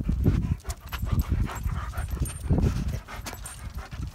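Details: Rough-and-tumble play between Odin the German Shepherd and another dog, Hannah: deep, rumbling growls in quick uneven pulses, broken by huffing breaths and scuffles.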